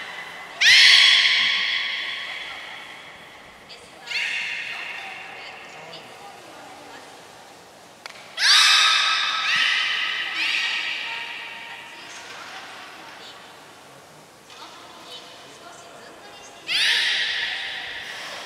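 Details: At Port of Nagoya Public Aquarium in Japan, belugas Gray and Mirai train on 15 June 2022, giving four loud, harsh, buzzy calls that fade slowly, spaced several seconds apart, with reverberation and faint voices.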